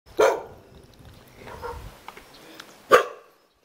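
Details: A Jindo dog in Songcheon-dong, Jeonju, South Korea, wags its tail and greets a visitor with two sharp barks and a softer one between.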